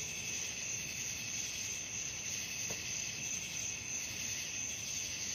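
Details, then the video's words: Crickets calling at night in an even, shrill trilling chorus of high bands, with a single faint soft tick midway and no other clear sounds. "suara jangkrik malam"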